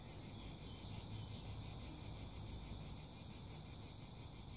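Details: Cicadas singing: a steady, high, rasping buzz pulsing rapidly and evenly about three times per second, unbroken throughout and fairly faint, over a low background rumble.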